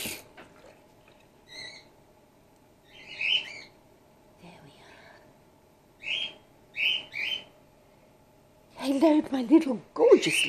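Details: A female grey-headed flying-fox pup named Gwickle, being hand-raised in care on her second day, makes sharp high squeaks singly and in quick pairs, followed by a stretch of human speech at the close.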